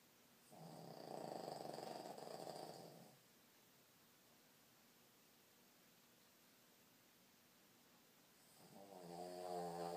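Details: A tired Boston Terrier, asleep, snores in two long, raspy breaths separated by a quiet pause.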